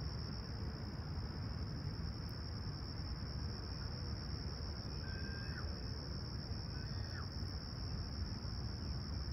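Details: Serene summer dawn at Toronto's Humber Bay Shores on July 28, 2020, clear and calm at 20ºC. Crickets give a constant high-pitched continuous trill beneath deep low background rumble; two short whistled bird notes appear midway.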